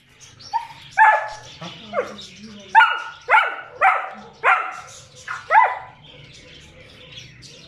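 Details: German Shepherd that stayed with its owner, giving about seven short, tonal whining barks, each sliding up then down, spaced roughly half a second to a second apart, over a low steady background hum.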